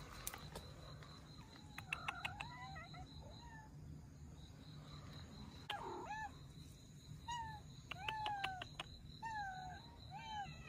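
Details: Russian Blue mother cat and kittens, abandoned and being rescued, give faint, repeated mewing calls that rise and then fall, mixed with voices, clicks and handling noise.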